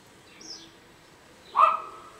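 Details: Pet guinea pig giving a single loud squeaky call, short and slightly falling, after a faint high squeak earlier; quiet room otherwise.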